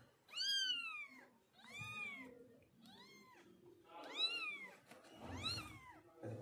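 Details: Mother cat moving her five kittens out of a home shelter. Five clear, arching meows, each rising then falling, about one per second, with a man speaking Bengali faintly in between.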